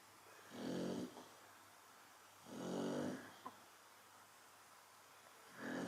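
A Chow Chow snores in slow, rumbling breaths, each lasting about a second.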